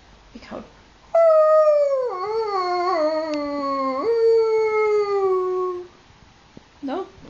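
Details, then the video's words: An 8-week-old Alaskan Malamute puppy gives a long, wavering howl that slides downward, then lifts again before fading. "Diesel alaskan malamute at 8weeks old howling"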